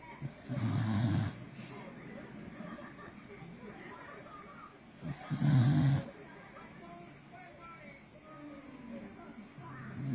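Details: Loud snores from a Corgi fast asleep, heavy low rumbles arriving roughly every four to five seconds, separated by quieter stretches of faint room noise.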